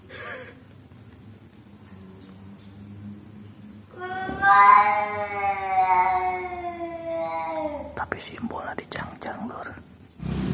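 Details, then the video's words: Cats fighting, an orange cat involved: a loud drawn-out yowl with rich harmonics that rises then slowly sags over about four seconds, framed by women speaking Indonesian, with clattering knocks afterward. "CAT FIGHT VOICE LOUDLY"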